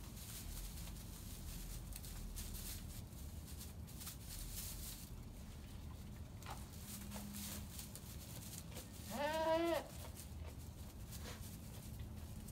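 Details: A three-day-old male goat kid, with a Nubian mother and a Fainting/Pygmy mix father, gives one high, quavering bleat over steady background noise.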